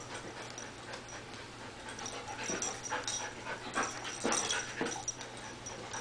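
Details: A small pet dog, a female, eager to play with the household cat: quiet huffing breaths and snorts come in uneven clusters, growing a little louder toward the end, over a thin constant high tone.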